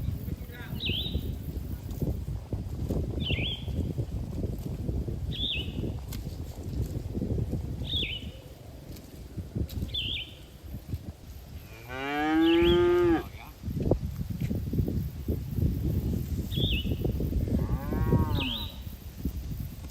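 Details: Cattle herd grazing in a green field: a loud, drawn-out harmonic moo about halfway through, then a shorter, fainter moo near the end. Short bird chirps repeat every few seconds over a steady low rumble of wind and ground noise.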